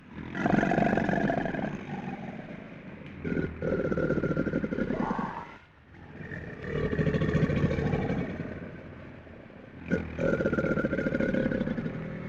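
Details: Crocodile growling: deep, rough, pulsing rumble in three long bursts separated by brief pauses, with a faint tonal band running through each burst.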